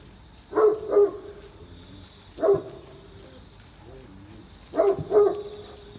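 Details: Great Pyrenees barking during a rainy morning walk at Oyama Yuen Harvest Walk, before heading home. Three groups of deep barks come about two seconds apart: a double, a single, then another double. Faint background hum.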